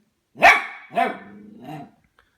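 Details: Harvey, a 10-week-old Goldendoodle puppy, reacts indoors to a new plastic ball he is wary of: one loud sharp bark, then a second weaker bark trailing into a low whining growl, and a faint third yelp.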